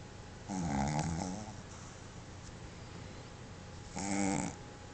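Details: Sleeping pet Boston Terrier Pepe, tongue out and eyes open, gives two raspy, vibrating snores about three seconds apart, the first longer, with quiet room tone between.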